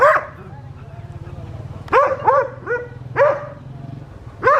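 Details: West Highland White Terrier on a winter morning in the garden and fields of a village in South Punjab, Pakistan, giving about five sharp, short barks in quick succession after a person's voice at the start, over a low hum.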